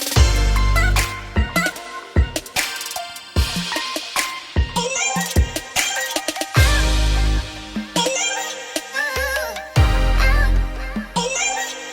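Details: Loud electronic music with heavy bass and drums plays throughout, with no animal sound.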